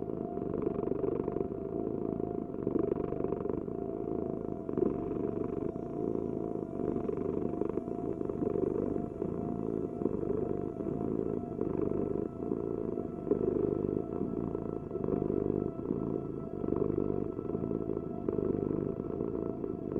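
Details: Low continuous purring from a cat, an even throaty rumble with faint pulsing and a steady hum underneath.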